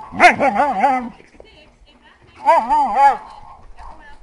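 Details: Playful heeler mix dog beside an Australian shepherd, April 2012, giving weird noises: two wobbling, yodel-like moans about a second long each, pitch bending up and down repeatedly, separated by a short quiet pause.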